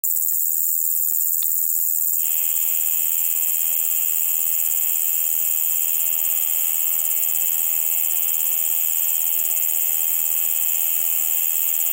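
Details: Large Conehead (Ruspolia nitidula) singing at Keutschacher See, Austria, on 20 August 2021: after two quiet seconds a steady, unbroken high buzzing starts abruptly and carries on without pause to the end, over a constant hiss.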